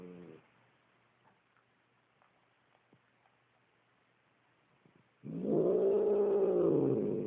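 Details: A domestic cat named Ernie gives a drawn-out, moaning growl after a brief opening note, with a quiet pause between, while its owner stands nearby asking what's wrong.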